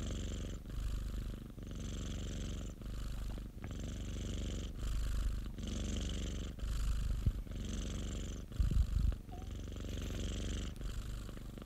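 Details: Domestic cat kept by a friend, purring steadily with a deep rumbling drone. It swells into brighter, raspier phases roughly every second and a half, alternating breath-like between loud and softer stretches, with a brief rustle near the end.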